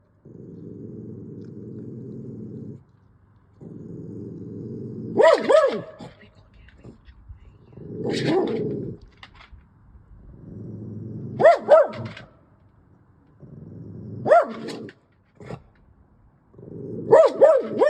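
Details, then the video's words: Dog barking at a fox at nearly three in the morning; sharp, loud barks roughly every three seconds, separated by stretches of low, steady rumbling sound. "My dog Billie barking at a fox at nearly 3 in the morning"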